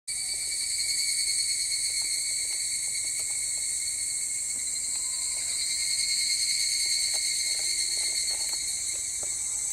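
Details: Higurashi cicada song recorded 25 July 2010 in the afternoon: a steady, unbroken high shimmering drone with layered bright tones. It holds even in loudness throughout, with faint scattered clicks and soft low background noise.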